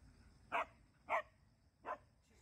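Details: Jindo dogs out on a walk in Busan, barking from jealousy: three short, sharp barks, evenly spaced about half a second apart, over a quiet outdoor background.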